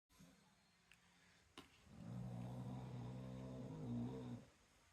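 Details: Sleeping dog snoring loudly enough to drown out a TV: a single sustained low, droning snore lasting about two and a half seconds after a quiet start, with faint clicks beforehand.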